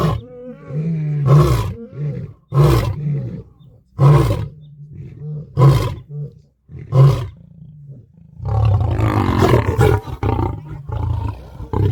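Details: A lion roaring to announce its location and show strength to other prides: a run of short, deep grunts about every one and a half seconds, then a longer rough, noisy roar.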